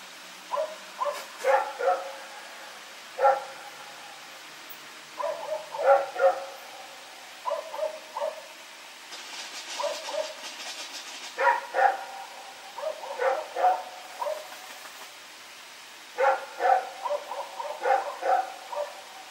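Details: Rex, a dog, barking repeatedly at night while running around, recorded 21 September 2018: many bursts of quick harmonic barks, two to five at a time, with a brief hissing noise near the middle.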